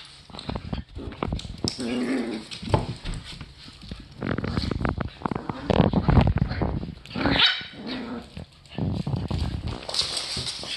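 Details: Two dogs at home, one a Boston Terrier added to the family three days earlier, play together: rough growls and short barks in bursts, with a woman's voice scolding "too much" between them.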